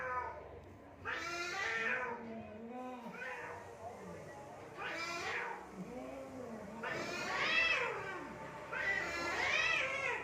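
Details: Cats fighting in Assam, India: drawn-out, wavering yowls that rise and fall, with bursts roughly every two seconds and lower moaning growls between them. Some faint background noise is also present.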